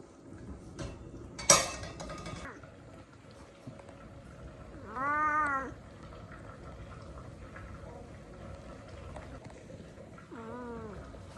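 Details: Hungry kitten at home crying while waiting for food: two drawn-out, wavering meows with rich harmonics, the first near five seconds and a shorter one near ten, amid rustling, a sharp clatter and Vietnamese speech.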